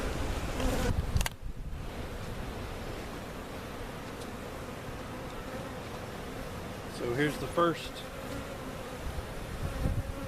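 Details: Honey bees from a giant cutout hive at Jerome Bee Farm in Central Oklahoma, being moved into their permanent location: a steady low hum with a faint tone held throughout, a short dropout near the start, and a louder passing buzz around seven seconds.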